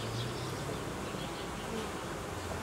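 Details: Honey bee colony that has produced royal jelly and raised queen cells, being reorganised by the beekeeper as temperatures fall; a dense, steady, broadband hum of many bees droning without a break.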